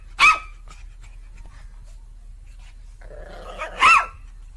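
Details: Domestic dog barking indoors in a small room: two loud, sharp barks about three and a half seconds apart, the second preceded by a low rumbling growl, with near silence between them.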